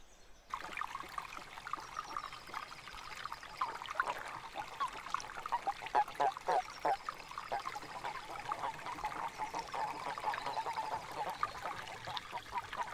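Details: Spiny toads (Bufo spinosus) in breeding season. Rapid, mid-pitched croaking pulses run several per second in uneven bursts, with faint thin bird notes high above and a trickling background.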